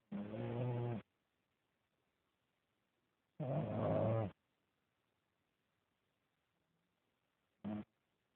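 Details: Deep rhythmic snores from Elvis, a French Bulldog asleep; each rumbling, harmonic breath lasts about a second, with roughly three seconds of near silence between, ending on a short snort.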